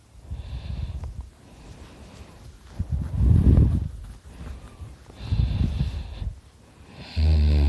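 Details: Dakota, a dog lying asleep, breathing heavily with rough, wheezy snorting breaths that swell and fade, ending in a sudden loud buzzing snore.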